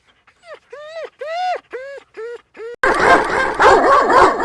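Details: Dog sounds: a run of rising-falling whimpering yelps, about six in a row, followed by a louder, noisier burst of barking or growling.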